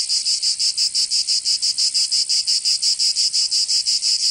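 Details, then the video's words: Cicadas singing in summer in Provence, southern France: a loud, high, buzzy rasp pulsing about three times per second in a steady, even rhythm, with no other sounds. "Canto Cigarra 🦗 [ Escuchar les cigarras en verano 10 H]"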